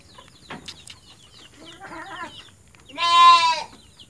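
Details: Orphaned goat kid whose mother died, being hand-fed milk by a farmer: after faint scattered chirps and a soft murmur, one loud, strained, harmonic bleat lasting about half a second near the end.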